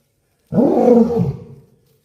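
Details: A lion roars once at Dulahazara Safari Park, Chittagong: a single deep, rasping roar that swells quickly and fades away.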